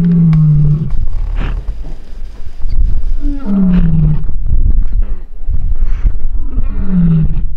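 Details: Lion (Panthera leo) roars at a waterhole in Etosha, in deep, moaning bursts that slide downward, repeating about every three seconds.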